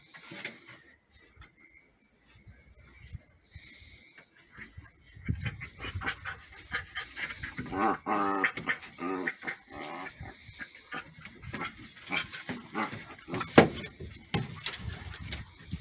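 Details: Border Collie puppies play fighting, pouncing and going for the face: quiet scuffling first, then bursts of rough growls and squealing yelps mixed with panting and thumps of bodies wrestling.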